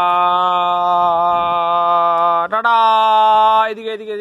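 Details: A sustained male chanting voice holds one steady note, then steps up to a slightly higher pitch, with no animal heard.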